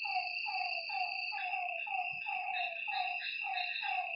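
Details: Night frog calls from a lakeside, a series of about ten short downward-sliding notes in quick succession, with insects trilling in a continuous high whine behind them.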